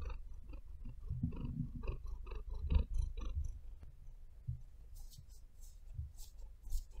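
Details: Maia, a house cat, purrs in a small room, a continuous deep rumble with rhythmic breaths. Crisp clicks and scratches from her claws kneading the bed rise over it in the second half.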